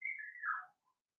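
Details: A Cavalier King Charles Spaniel puppy, one of six Blenheim littermates in a home puppy pen, lets out a single high whistled whine that falls in pitch within under a second.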